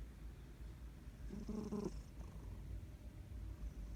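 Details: Sleeping cat, a female, snoring loudly: one raspy low breath-sound lasting about half a second in the middle, then a quiet steady indoor hum.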